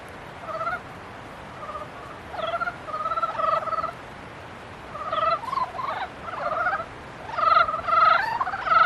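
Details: Several frogs calling during mating season, overlapping pulsed nasal croaks that build from sparse single bursts into a denser chorus toward the end.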